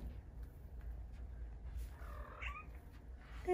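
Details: Indoor pet cat, vocal while wanting a belly rub, gives one short upswept meow near the end after a woman repeatedly calls her name; steady low room hum throughout.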